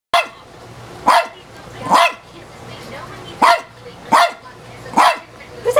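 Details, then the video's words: An elderly female dog, about 15 years old, barks at her own reflection in a mirror indoors: sharp single barks spaced unevenly, roughly one to two seconds apart, six in all, with a low steady hum behind. "Dog Barks at self in mirror"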